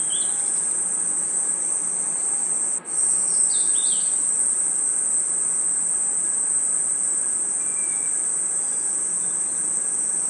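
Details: Crickets and other insects chirping at night in a forest: a steady, very high, shrill trill without pause, with a few short whistled chirps around three seconds and one brief dip in the sound.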